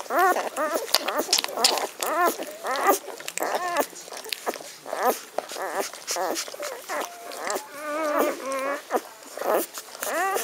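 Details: A litter of Magyar Vizsla puppies, 17 May 2015, whining steadily: short arched whimpers repeated about every half second, a few longer wavering squeals near the end, and faint human voices underneath.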